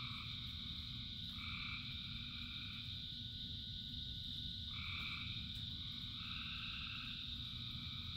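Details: Frogs in a rain shower give a few drawn-out, nasal two-tone calls spaced a couple of seconds apart. Beneath them run an unbroken high-pitched chorus and steady rain patter.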